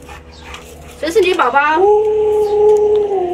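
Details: Pet Alaskan Malamute Luoluo howls after its owner dons a frightening mask: a short rising, wavering yelp-like onset gives way to a long, steady, flat howl held to the end, with voices just before.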